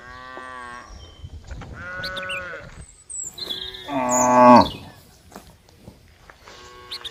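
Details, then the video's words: A group of cows calling, with a series of moderate moos and one loud, strongly harmonic moo near the middle, plus scattered bird chirps and quiet gaps. "funny sound of cows and cows"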